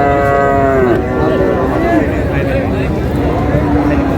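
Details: Bull calf of about seven to eight months at Raniganj cattle market in Dinajpur, among Friesian and cross-breed calves: a strong, rich moo opens and drops in pitch after a second, then a lower trailing bellow under busy market talk.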